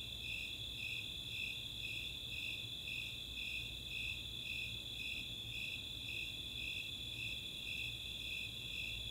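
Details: Snowy and Four-spotted Tree Crickets in a summer night chorus at Chautauqua open space, Boulder, Colorado; bright chirps repeat steadily about twice each second against a continuous shrill, high-pitched trill.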